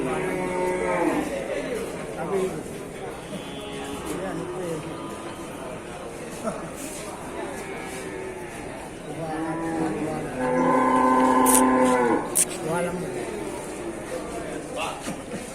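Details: Water buffalo herd heading to market at Sibreh, Aceh Besar, Indonesia: a long, strong bellow lasting about two seconds stands out amid constant background talk and bustle from people nearby.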